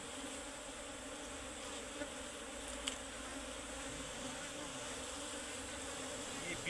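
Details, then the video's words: Asian honey bees, locally named Serena bees, buzzing around a comb inside a tree being cut for honey; an even, broad droning hum throughout, with one sharp click near the middle and faint voices. "গাছের ভিতর মৌমাছির চাক পড়ছে কাটে কিভাবে দেখেন এই মৌমাছির নাম হচ্ছে সেরেনা মৌমাছি"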